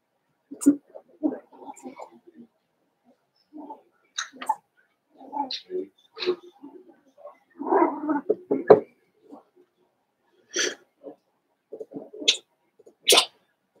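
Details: Five-week-old Cavalier King Charles Spaniel puppies from Daisy's litter in their indoor puppy pen, giving scattered short whimpers, squeaks and high yelps with quiet gaps between them. Soft rustling from the pen is also heard.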